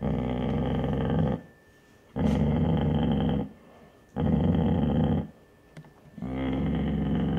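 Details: Basset Hound mother protecting her pups from the curious grandfather dog indoors: four long, deep, rough growls, each lasting about one to one and a half seconds, separated by short pauses.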